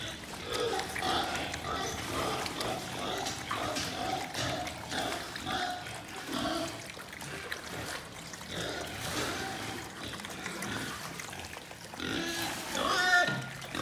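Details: Young breeding-stock wild boar weighing 6–10 kg grunt and squeal in a busy, overlapping chorus, with trickling water behind.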